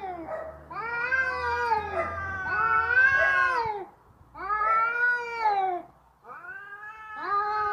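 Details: Cats quarrelling in a noisy fight, long strained yowls arching up and down in pitch, separated by two short pauses, a low rumble audible in the background.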